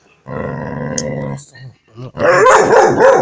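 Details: A five-month-old male puppy: a drawn-out, harmonic whining yowl, then a brief pause and a burst of rough, rapid barks at the end.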